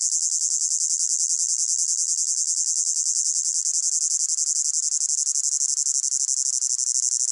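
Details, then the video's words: High-pitched cricket chirring in a hot summer meadow, a continuous trill with rhythmic pulses that grow slightly uneven toward the end, from a layered ambience. "Sound of Crickets in a Hot Meadow"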